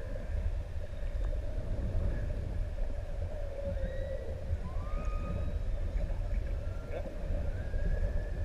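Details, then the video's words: Underwater song from a group of six adult humpback whales off ʻEua island, Tonga: faint rising whistled sweeps and short upswept moans, repeated every second or two over a heavy low rumble of water noise. "Incredible up-close footage of singing humpback whales"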